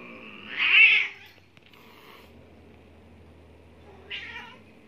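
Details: A one-year-old neutered Maine Coon cat trying to mate with a 16-year-old Persian gives a loud, drawn-out yowl that rises and falls, then a shorter cry.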